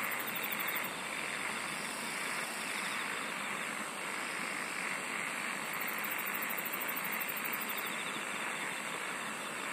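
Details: Steady wall of insect song, unbroken for nearly ten seconds, with rapid high-pitched pulsing trains that start and stop in bursts and a fainter, lower rasping layer beneath.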